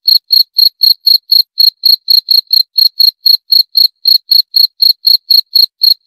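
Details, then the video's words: Even pulses of shrill cricket chirping, around four a second, each note clipped and ringing, continuing without break against a quiet, empty background. "26 Menit Suara Jangkrik - 26 Minutes Cricket Sound Effect"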